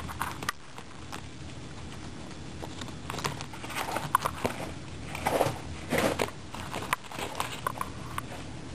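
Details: Several pet guinea pigs eating a carrot, with bursts of crisp crunching and gnawing clicks clustered between three and seven seconds over a steady low background hiss.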